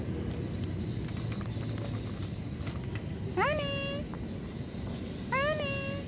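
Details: Cat meowing twice, about two seconds apart, each a clear rising-then-level harmonic mew, over steady low traffic rumble and faint outdoor noise.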